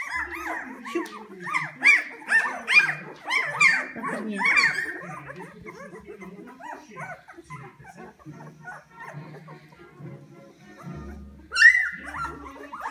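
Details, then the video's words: Several hungry Poodle puppies at a kennel give a burst of shrill, bending whimpers and yips for about five seconds, then fade behind low human speech before one more loud squeal near the end. "Hungry Poodle Puppies"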